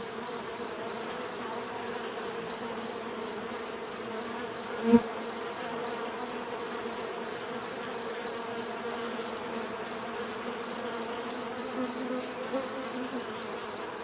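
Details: Continuous bee buzzing, a soft layered hum with a high steady whine, interrupted once midway by a brief sharp click, then the drone carries on evenly.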